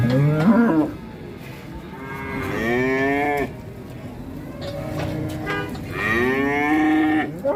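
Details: Agitated cattle rampaging during ploughing, giving three long lowing moos that sweep upward and then sag, separated by quieter gaps with low rumbling in the background.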